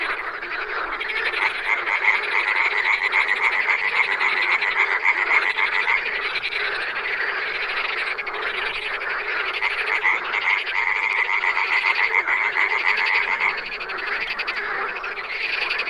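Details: Wild frogs calling in a dense, continuous chorus, rapid pulsed croaks overlapping at a steady rate, with a bright trilling band running through nearly the whole recording.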